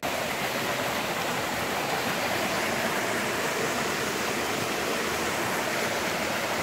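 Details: A waterfall and stream rush steadily on a bush trail walk, an even hiss of falling water with no other sounds.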